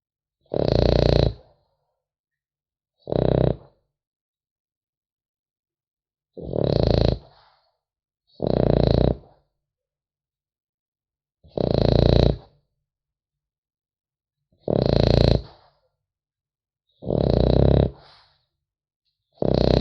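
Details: A French Bulldog puppy sleeps and snores steadily, eight short, coarse, low snorts spread over twenty seconds at uneven intervals of two to three seconds, with nothing else audible in the quiet room.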